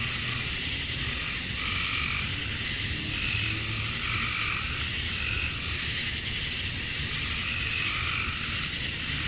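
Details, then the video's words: Summer dusk chorus of male cicadas in Georgia, USA, calling to attract females: a constant shrill hiss-like drone, even in loudness, with gentle pulsing bands rising and fading every couple of seconds. "Cicadas at Dusk, Summer Night"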